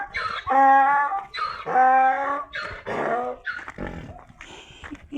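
A donkey brays in loud, harmonic honks alternating with rougher, breathy gasps.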